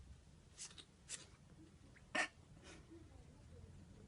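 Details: Sleepy ferret in a sneezing fit that leaves it tired: four short, sharp sneezes, close together in the first three seconds, the third the loudest, in a quiet small room.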